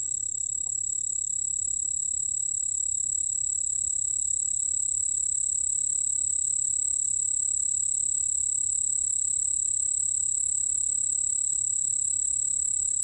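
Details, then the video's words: From the National Institute of Biological Resources, 2020: a white-whiskered bell cricket's sustained piercing trill, perfectly even and unbroken, with a fainter lower tone alongside and a quiet low hum in the background. "흰수염방울벌레, 여러번 듣기, 곤충소리"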